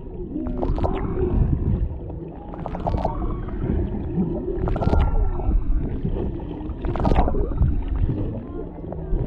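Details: Humpback whales underwater off Maui, Hawaii, a mother and calf interacting near a boat with a male in the background, recorded on a GoPro Hero 7 Black: low moaning and groaning tones with rising and falling whistled contours, broken by clicks and rumbling water noise.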